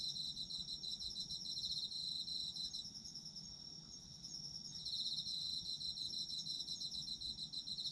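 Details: Chorus of autumn insects: layered high, rapidly pulsed trills forming a steady ringing drone, dipping briefly in intensity around the middle and then swelling back.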